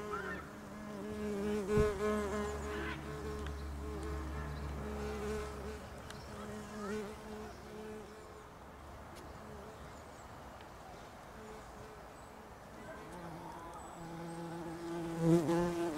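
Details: Bumblebees at a nest in a house roof, their droning buzz strongest in the opening seconds and again at the end, with a low steady rumble beneath and a quieter stretch in between.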